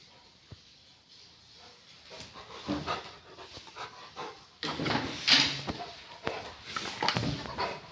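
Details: Rottweiler producing short, harsh, breathy bursts, growl- or pant-like, that cluster after a quiet start and grow louder and denser in the second half, with scattered rustling and handling noises between them.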